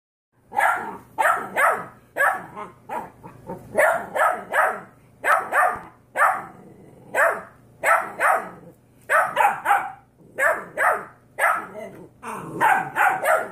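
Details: Puppies barking back and forth indoors: 13-week-old Golden Retriever mixes facing off against 5-week-old Yorkie puppies. Bursts of short, sharp, yappy barks come in quick clusters, often overlapping, with brief pauses between volleys throughout.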